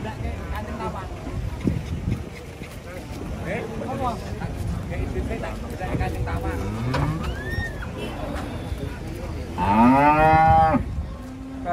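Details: Large cattle coming down off a truck before the Eid festival. Scattered low lowing is heard amid music and crowd chatter, then a loud, long moo rises and falls near the end.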